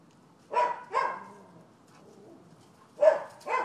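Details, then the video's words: Neighbours' dogs barking at a rented property in Florida on 12/7/15, noted as nuisance behaviour: four short, harsh barks in two pairs, about half a second apart, with a quiet gap between them. "Barking Dogs"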